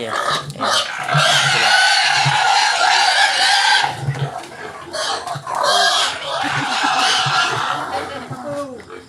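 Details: Wild pigs kept in a house: a long, raspy, high squeal lasting about four seconds, then shorter rough screams, while low thumping grunts pulse beneath at a steady rhythm.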